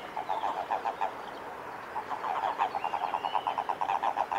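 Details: Japanese common toads in amplexus during mating at a field centre by Lake Kawaguchi, Japan, recorded 22 April 2018; a rapid train of short low croaks pulsing about five per second, with faint bird calls behind.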